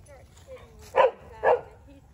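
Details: A dog playing with Meadow, a Mini Australian Shepherd puppy, gives two short, sharp barks about half a second apart, with a quiet human voice greeting the puppy just before.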